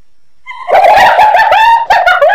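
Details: A short, loud burst of hyena cackling: a clear tone that quickly turns into rapid, wavering, laugh-like giggles held without a break.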